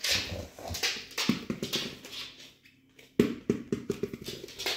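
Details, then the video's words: Cardigan Welsh Corgi on 3 November 2022, asking to play with a ball indoors: a run of short, pulsed grumbling vocal bursts, a brief lull, then rapid repeated low yips, with pattering and room noise throughout. "корги-кардиган приглашает поиграть с мячиком"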